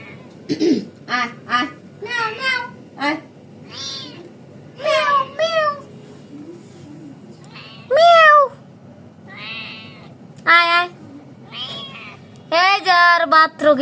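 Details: Trapped cat calling out with a series of urgent meows of varying length, some rising then falling, interleaved with a person's voice speaking softly nearby.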